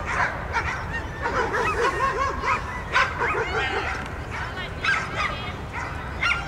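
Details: Groenendael dog at an autumn dog frisbee throwing-accuracy competition in Russia; short excited barks and yips in quick bursts, with people talking and crowd noise throughout.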